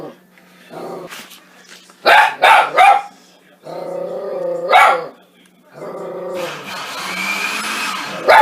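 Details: Pet dog Baylee goes ballistic at the noise of a Soup Mate soup maker indoors: loud, harsh bark bursts in quick clusters, two or three close together, over a steady machine whine, with music and a person's voice.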